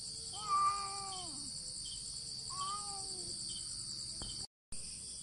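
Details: Two cats in a standoff fight, not touching, only meowing: two drawn-out, wavering yowls with rich harmonics, the first louder and falling at its end. A steady high insect-like hiss runs underneath.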